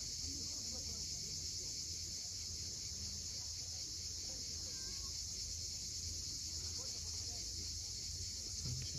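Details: On the Crimean coast at Cape Fiolent at sunset, a dense cicada chorus forms a flat, sustained high buzz, backed by low rolling wave noise and a few faint bird notes.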